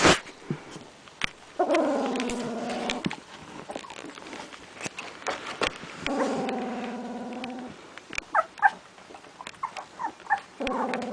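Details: Puppies with eyes almost open, one said to be growling while handled; three drawn-out, wavering tonal whine-growls about a second and a half each, separated by rustling, clicks and a few short squeaks.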